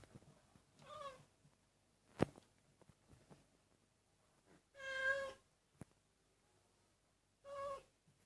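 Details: Senior cat giving drawn-out, tonal, moaning meows, three separate calls spaced a few seconds apart, in a quiet room with soft clicks and rustles between them.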